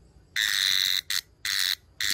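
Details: Brown cicada giving a series of harsh buzzing bursts, one longer buzz followed by three shorter ones in quick, slightly irregular succession.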